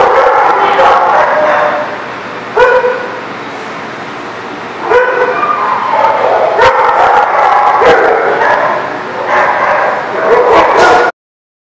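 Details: Dog barking at The Barking Lot, recorded 12/10/18: loud, harsh, harmonic-rich barks in repeated bursts, some overlapping, with sharp onsets every few seconds over a steady background din.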